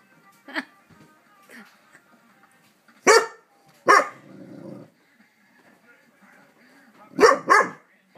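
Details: A dog barks during neighbourhood fireworks. Scattered single barks come several seconds apart, one followed by a short low growl, and the clip ends with a quick double bark. Quiet background between calls.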